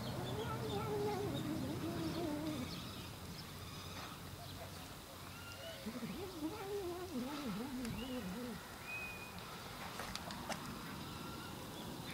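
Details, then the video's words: Cat making a funny noise: low, wavering, harmonic yowls that rise and fall in quick wobbling loops, loudest in the second half, over a steady hiss of background noise with a few faint higher squeaks. "Funny Cat Noise"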